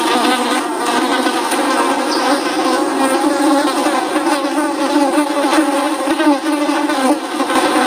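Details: Dense buzzing of flies, several droning hums layered together with wavering overtones, constant loudness throughout, nothing else audible.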